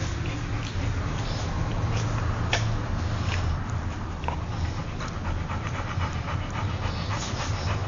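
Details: Golden Retriever named Luke, born 22 December 2009, recorded 19 May 2010, panting as a steady breathy hiss over a low continuous rumble, with a few short clicks scattered through.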